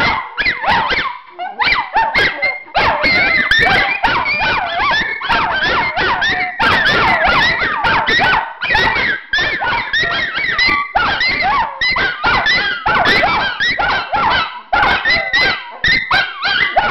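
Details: Chorus of three pet Miniature Schnauzers, Khloe, Ruby and Spencer, howling at home as they do every day; dense, continuous overlapping howls with wobbling, siren-like rising and falling tones and brief yelps.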